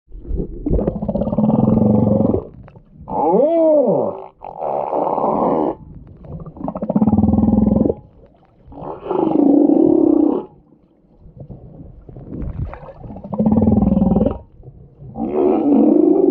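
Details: Humpback whale giving a series of long, loud moaning and roaring calls, each lasting one to two seconds, some with rising and falling tonal sweeps, separated by short quiet gaps.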